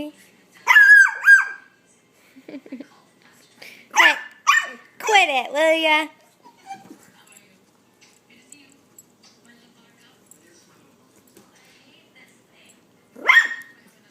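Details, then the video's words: Puggle puppy yapping in short barks, then a run of whiny, wavering yelps, with a final lone bark after a long quiet stretch; a woman's voice speaks to the puppy in between. "Puggle Puppy Barks"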